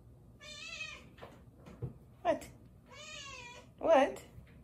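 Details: Indoors, a rescue kitten cries while jumping out of a tub. Two drawn-out, harmonic meows, each about half a second long, alternate with sharp clattering knocks and thumps.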